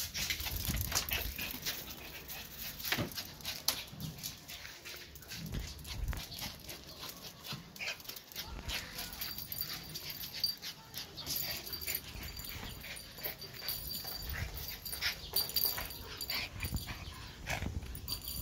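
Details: Two Pomeranian dogs playing together indoors, with scuffling, soft whimpers and short yips amid constant rustling and thumping, plus faint human speech and a steady high background whine.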